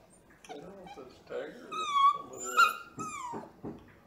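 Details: Purebred male Bluetick Beagle puppy, very vocal, howling indoors while being saucy to his owner: drawn-out, wavering whine-like howls that rise and fall, broken by human voices between them.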